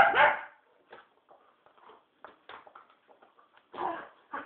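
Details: Puppy at night-time play: a loud bark opens, followed by a run of soft grunts, yips and scuffles, then a second fuller bark and a short final yelp.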